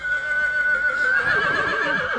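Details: Stallion from Satu Mare, filmed in Bucovina, Romania, in 2022, neighing: a long, steady high-pitched whinny that breaks into a rapid, wavering, descending tremolo toward the end, with light background noise.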